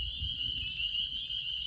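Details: A dense night-time chorus of spring peepers (Pseudacris crucifer) in northern Georgia, countless high piping peeps blending into one steady shrill ring.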